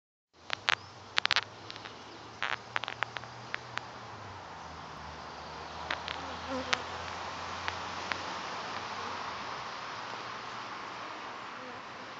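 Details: A settled honey bee swarm on a farm, 9 June 2012, gives off a steady, low droning hum with a few sharp clicks over it; Western honey bee.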